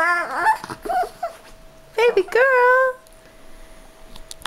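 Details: Dog pleading to be picked up: a run of quick wavering whimpers, then a louder drawn-out whine sliding upward and leveling off, ending in quiet with a faint steady tone and a few clicks.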